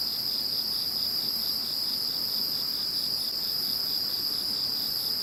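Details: Insects calling after Typhoon No. 21 has passed: a steady, high continuous trill with a faint pulsing shimmer above it, several callers layered into an unbroken chorus.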